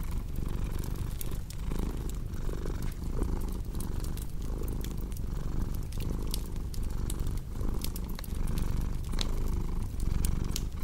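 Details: A cat purrs in a low, even drone, the rumble swelling and easing in regular breath cycles under sharp crackles and pops from a cozy fireplace.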